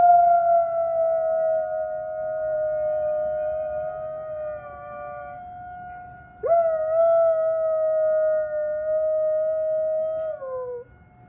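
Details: A giant Alaskan Malamute howls along with tornado sirens in long, even howls held for several seconds at the siren's pitch; one howl breaks off, a new one starts, and the last slides downward as it fades.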